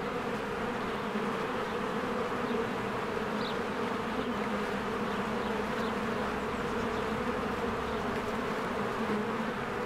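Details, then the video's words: Many honeybees busily working at their hive in spring, flowers blooming nearby, Canon EOS R recording. The constant, rich wing-buzz drones without a break, and one faint, brief high note appears near the middle. "1 Hour of a Beehive ASMR | A Spring Nature Ambience Sounds"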